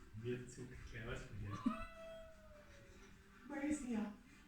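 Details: Domestic cat making funny noises while visiting young neighbouring cats: one drawn-out, steady meow that falls slightly at its end, lasting over a second, with human talk before and after it.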